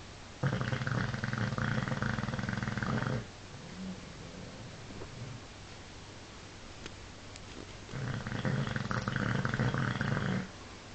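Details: Bulldog named Paul asleep and snoring loudly: two drawn-out, rattling, throaty snores of roughly three seconds each, separated by a soft exhale and several seconds of near quiet.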